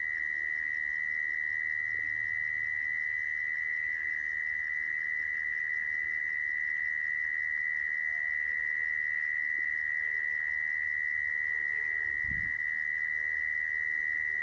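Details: Continuous mole cricket trill, the kind played to lure mole crickets into traps, holding one even high-pitched buzz for the whole stretch, with a brief low thump near the end.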